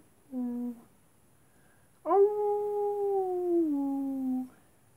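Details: Wolves at night, a long tonal howl with harmonics, holding steady then sliding down, preceded by a short lower note.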